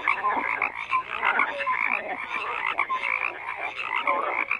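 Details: Frogs calling in a busy chorus: rough, pulsed croaks layered over each other with a few short high whistles, the sound never dropping away.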